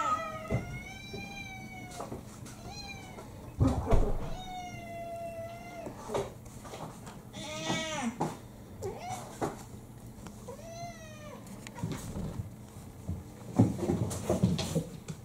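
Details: Mixed-breed pet cats pestering for their breakfast just after waking in the morning; repeated long, level and arching harmonic meows every second or two, one higher strained cry midway, with cupboard and dish clatter indoors.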